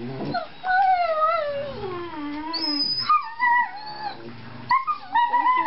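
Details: Kirby and Hoover, a pair of four-month-old Treeing Walker Coonhound males seeking a home, give a long howl that slides steadily downward, then higher, warbling yelps and whines crowd in toward the end.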